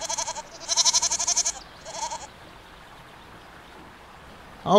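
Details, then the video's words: ['Goat bleating in a quivering, pulsed voice, a short call then a longer louder one and a brief third, followed by near silence and a sudden loud onset at the end.'] "GOATS - Animal Sounds - Goat Sound"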